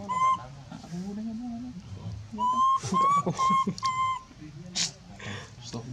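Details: Calling-for-help screams from a monkey, mixed with lower grunting and gravelly sounds; a brief wail opens, then a burst of four or five shrill screams follows amid scuffling and noisy breathy bursts.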